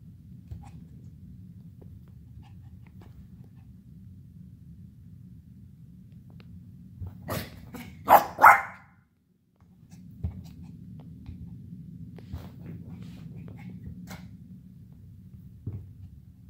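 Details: Playful Havanese puppy Pixie fires off a quick run of three or four rapid barks midway, preceded and followed by quiet indoor hum with faint taps and rustles.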